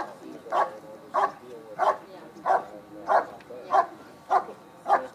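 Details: Schutzhund dog in a bark and hold exercise at the 2013 USA Nationals IPO event, barking rhythmically, nine firm barks at a regular pace, with soft voices in the background.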